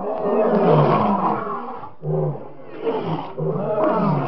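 A lion gives deep, rasping roars, one long rumbling bellow followed by shorter grunting roars about a second apart.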